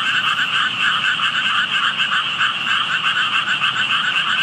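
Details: Frog chorus from hidden frogs beside water with tadpoles in view; many voices overlap in quick, throbbing croaks, roughly three or four pulses a second swelling and fading, over a constant high ringing buzz.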